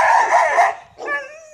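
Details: Dogs in the hills of Jamaica barking at the person recording: a harsh, noisy burst of barking lasting under a second, then a short, clear, tonal whine-like note. A man can be heard coaxing the dogs.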